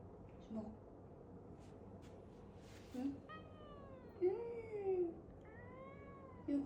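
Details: Cat meowing several times indoors, short falling and wavering meows spaced a second or two apart, while a person talks to it softly.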